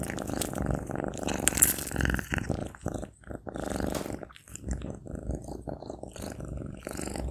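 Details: A Maine Coon cat eats sausage, chewing noisily with wet, irregular mouth sounds over a low purring rumble.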